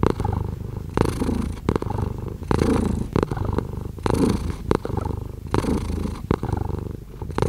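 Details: Domestic cat purring steadily, a deep low rumble swelling with each breath roughly every second and a half, broken by sharp clicks and rustling bursts close to the microphone.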